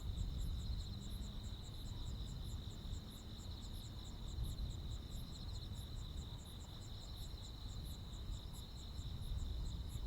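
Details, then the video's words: Rural Korean summer night with crickets and other insects: a shrill steady trill, with pulsed chirps ticking rapidly above it and a low droning background. "시골 야간 귀뚜라미, 벌레 소리"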